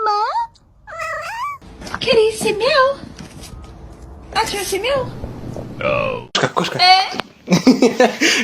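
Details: Domestic cat giving a run of wavering, bending meows, two quick ones at the start and more later, mixed with a person talking, bursts of music and room noise.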